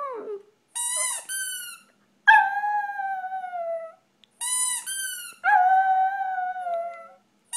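A Shih Tzu howls in long, wavering tones that start high and slide gently downward.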